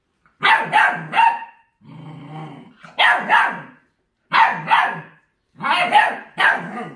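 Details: Forty-day-old mixed-breed puppy of feral stock, obsessed with raw food; high yappy barks in clusters of two or three, broken by a brief low rumbling growl, then further bark bursts about every second.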